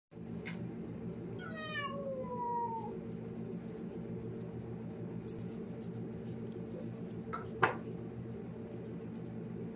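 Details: Talking cat gives one long, drawn-out meow that starts high and slides steadily downward, rich in overtones, over a constant low indoor hum, followed by quiet and a short sharp knock near the end.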